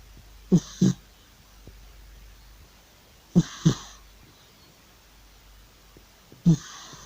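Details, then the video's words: Loud snoring from Georgie, an elderly male cat fast asleep indoors, perhaps chasing mice in a dream: paired low, raspy snorts, each pair several seconds apart, with near silence between breaths. "An old cat Georgie is loudly snoring and probably chasing mice in his sleep"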